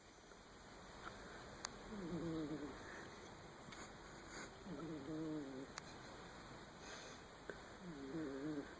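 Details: Sleeping domestic cat snoring: low, nasal, slightly wavering breaths recur about every three seconds, each a soft rising and falling rasp, over a steady faint electrical hum with a few small clicks.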